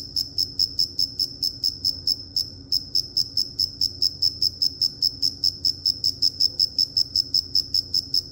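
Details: Chirping cricket: loud, shrill, evenly repeated chirps about two to three per second, with one short pause early on, then resuming steadily; faint low rumble behind.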